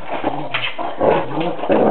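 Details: Pet dog indoors in a household with a Giant Schnauzer and a Doberman Pinscher, giving short whining, moaning vocal bursts about every half second, each rising then falling, loud and close.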